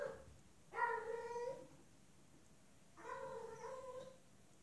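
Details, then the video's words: Female cat in heat calling to a male outside: two drawn-out, harmonic meows about a second long each, the second slightly rising, in a quiet indoor room. "Female cat in heat meowing, mate calling"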